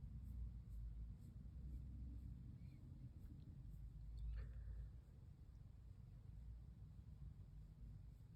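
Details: Low, continuous purring from Pon, a female brown tabby cat, while she lies curled up and is stroked. A brief thump and a short squeak stand out in the middle, then the soft rumble carries on.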